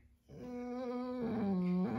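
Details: Nala the dog whimpers as her owner gets ready to leave: a drawn-out, nasal whine that holds level, then drops in pitch before rising again at the end, indoors, with the owner promising to return and offering kisses.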